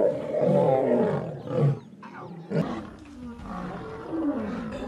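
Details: Female lion attacking and biting a male lion, with harsh, rumbling growls and snarls that rise in loud bursts and then break off, plus a short pause before the snarling resumes.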